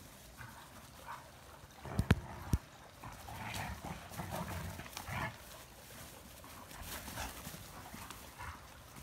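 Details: Three adult Sloughis in lighthearted springtime play, giving rough, breathy growl-like bursts that come and go irregularly over a noisy background, with a few sharp knocks early on.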